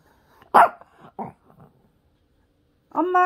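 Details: Pet dog Peter, asked to say "mom", gives a short sharp bark and a softer follow-up yelp, then after a pause starts a steady, tonal whining moan.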